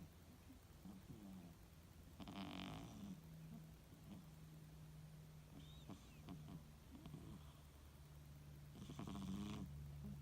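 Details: A 2-year-old female British Shorthair cat snores softly during a nap, with slow raspy breaths over a low steady rumble.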